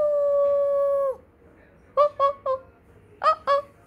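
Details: A Siberian husky with a malamute pup during a playful vocal "language lesson": one steady, level howl of about one second, then a quiet pause and five short yelping, talk-like syllables in two bursts.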